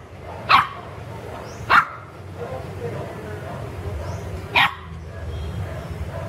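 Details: Garden play among pet puppies: three isolated high, sharp yips spaced widely apart, the first two a second apart and the third after a longer gap, with quiet background murmur between.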